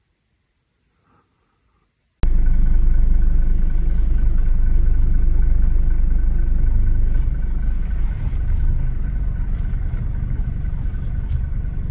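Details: Near silence, then a vehicle engine starts and rumbles loudly and steadily, with no animal sounds.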